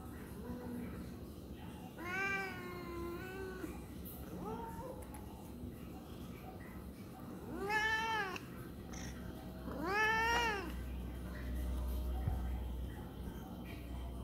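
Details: A tabby cat gives a series of drawn-out, arching meows, complaining about something.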